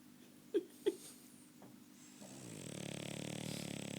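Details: French Bulldog snoring indoors: two sharp clicks early on, then a raspy, buzzing in-breath builds from about halfway and holds steady to the end.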